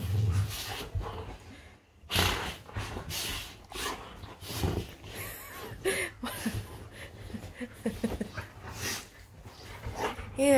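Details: Play fighting between golden retrievers in bed, one of them named Rudy; irregular low growls, snorts and panting bursts mix with rustling covers and brief human speech.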